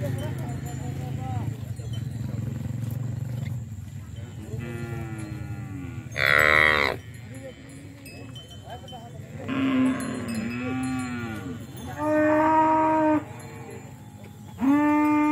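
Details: Bali, Limousin and Brahman cattle gathered together in a field. Several loud, arching moos come at intervals of two to three seconds, and one sharp, higher bawl is heard. Murmuring and low rumble fill the quieter gaps.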